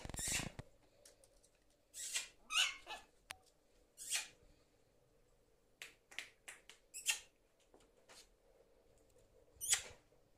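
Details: Series of jump yips from Errol, a pet prairie dog showing his joy at reaching his weekend house: short, squeaky, high bursts, some in quick pairs, separated by brief silences indoors.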